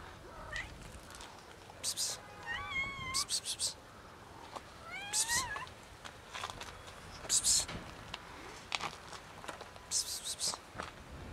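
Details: Female house cat meowing and making weird noises as she is touched; several wavering, bent meows come in quick pairs, mixed with sharp clicks and rustling from handling.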